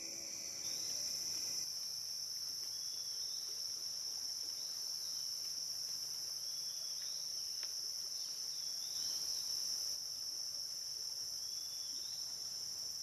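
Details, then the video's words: High continuous insect drone from cicadas on the Licking River in Morning View, captured through the night from dusk to dawn, holding one even shrill tone throughout, with a few faint brief chirps and a short click. "Cicada to Cicada - a 12 hour accoustical journey on the Licking River in Morning View"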